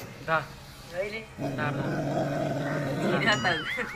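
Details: Angry dog fighting its own mirror image, giving a low, rough, sustained growl for about two seconds after short bursts of human laughter, with faint music underneath.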